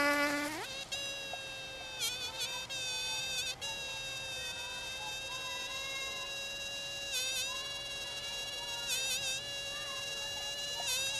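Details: Bees in Finistère, Brittany, western France: a buzz that climbs abruptly to a higher, whining pitch, then drones on with several short warbling, scratchy flutters as the insect shifts close to the microphone.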